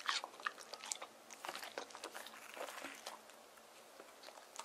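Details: Deokgu, a male white terrier born 19 April 2018, eats cool watermelon on a hot summer day indoors; wet crunching bites and chewing come in quick, irregular bursts of sharp clicks, close and crisp in a small room.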